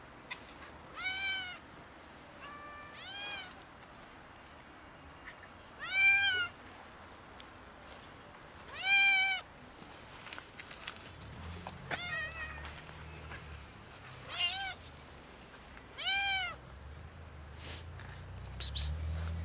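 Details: A kitten and two cats meow loudly and repeatedly, asking for food, the kitten's higher voice among them.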